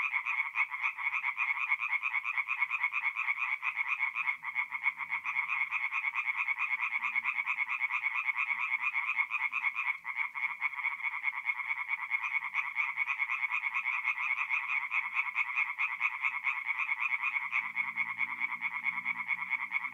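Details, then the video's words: Night chorus of tree frogs at a forest pond in North-East Italy, mid-April: fast, grating pulsed croaks from many frogs merge into a steady wall of sound, with a faint low murmur near the end. "relaxing forest pond by night with singing tree frogs"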